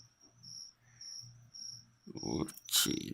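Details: Cricket raised as leopard gecko food, giving steady high-pitched buzzy chirps roughly every half second for two seconds before loud handling clatter and rustling take over.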